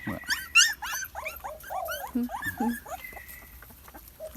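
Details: Thai Bangkaew puppies feeding on milk from a large bottle, several waiting their turn; rapid overlapping high squeaky whines and yelps, bursts of sharp rising and falling cries, with a person speaking softly.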